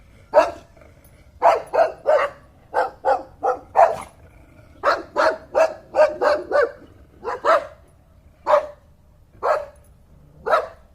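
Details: Dog barking steadily: short, harsh broadband barks in irregular groups of two to four, about one to two per second, with near silence in between.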